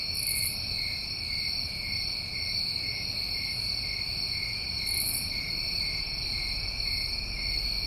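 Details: Massed New England crickets in summer produce a steady shrill trill, while short, very high buzzy bursts come about every five seconds over the chorus.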